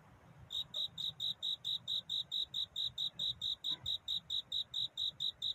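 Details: A cricket chirping at night to find a mate, starting after a brief hush, then about twenty sharp, metallic high pulses at a steady pace over a quiet low background.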